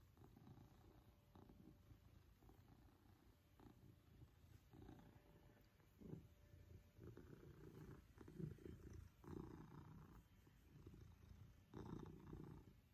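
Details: Affectionate male Maine Coon named Pippin, purrs growing louder as he enjoys attention from his family during a cuddle; a steady, low, throaty rumble with uneven breath-paced surges and occasional soft bumps.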